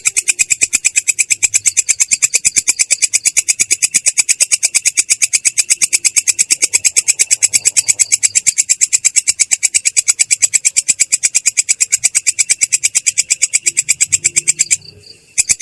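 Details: Katydid known locally as belalang kecek performing ngerol, its clear but harsh rolling song: a long, very regular stream of rapid high rasping pulses that stops abruptly just before the end.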